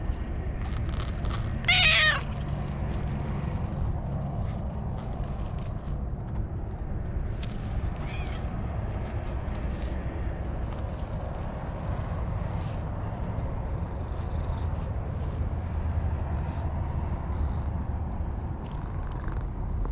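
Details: Stray cat sitting on top of a wall gives a single loud, clear meow while being petted, a cry of joy. Steady low rumbling background noise fills the rest of the recording.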